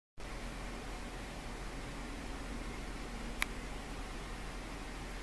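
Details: Steady hiss of room or fan noise with a single sharp click midway and no animal calls.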